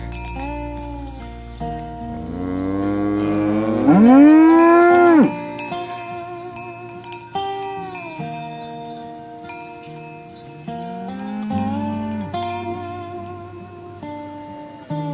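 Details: Tame cows herded in the morning along a village road towards the pen, one giving a loud, drawn-out moo that rises and swells, with shorter, softer lows around it over steady background music.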